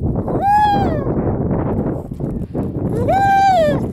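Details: Harp seal baby approached closely in 2019, crying two drawn-out, sheep-like wails that swell and then slide downward, separated by a pause, with loud wind throughout.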